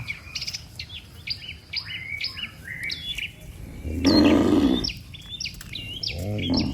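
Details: Cattle returning together to the barn in the evening after grazing in the field, with a loud lowing moo late on and a shorter one at the end, following a stretch of busy bird chirping.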